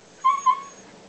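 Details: Ollie, a pet dog described as loving to talk, 'telling' about his day working in the office: two short, clear, whining syllables at steady mid pitch, close together, followed by a person chatting to him.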